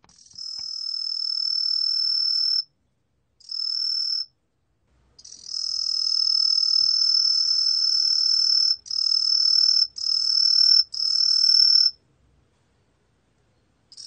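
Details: Truljalia hibinonis tree cricket, recorded in 2020 by the National Institute of Biological Resources, singing sustained piercing high-pitched trills lasting up to three seconds, separated by brief silent gaps, with no other sounds.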